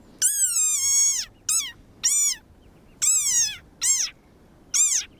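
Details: A desert rain frog, a species of foggy desert dune habitats, gives a series of shrill squeaks like a squeaky toy, each sliding slightly downward.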